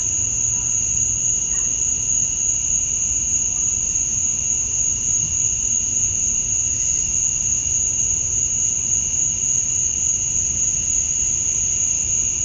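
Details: Male cicadas chirping at summer dusk in Georgia, USA, to attract females. Their sound is an even, ringing high whine with a lower tonal band. A brief faint low hum appears early on.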